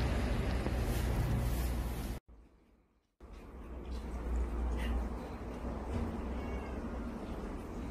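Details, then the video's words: Two large, gentle cats cuddling and purring, a low, steady rumbling throb about four beats per second, briefly cut by a silent gap, with a person talking quietly nearby. "골골송 거대고양이"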